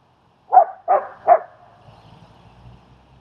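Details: Three rapid, evenly spaced mid-pitched barks, then quiet with faint low rumbling. Recorded as the German Shepherd Strike helps a trainer work with and socialize the fearful dog Leonidas in Queens, New York.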